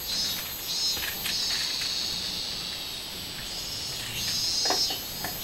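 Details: Robust cicada singing on 24 July 2016, a dense high buzzing drone with pulsed, swelling accents that rise and fade every second or so.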